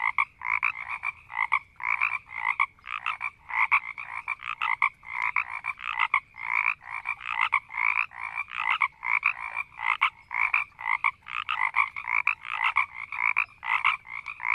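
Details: Frogs croaking and growling slowly in a marsh: many overlapping rasping, pulsed croaks with a bright upper band, packed closely and continuously, irregular rhythm, several animals calling together.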